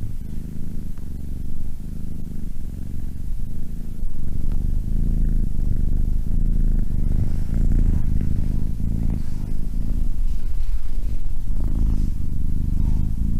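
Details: Close cat purr, a low throaty rumble broken by short breath gaps, getting louder partway through and staying even to the end.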